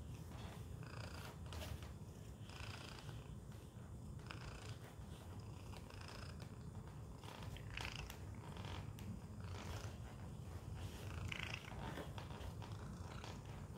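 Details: Domestic cat named Tacy sits inside a Chewy box indoors, purring continuously in a deep even rumble; scattered light scratching and rustling sounds punctuate the purr.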